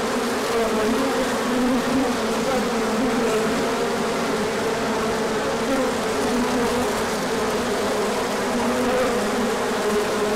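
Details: Hive bees circling on an orientation flight as sunshine returned after cooler days, 24 March 2024; a constant rich drone of countless wingbeats, steady in loudness, faint pitch wobbles from passing individuals.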